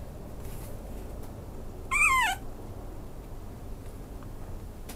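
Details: Single high whine from a Maltese-Chihuahua mix dog, about half a second long and sliding down in pitch, surrounded by quiet background.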